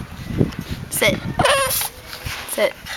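A Boston Terrier gives a few short, sharp, high barks, demanding that the ball be thrown.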